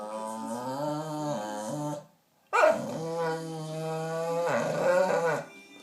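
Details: Pet dog making drawn-out crying noises to get attention and a small lump of biscuit: two long, steady, tonal moans, the first about two seconds, then a brief pause and a second, longer wail that wavers slightly.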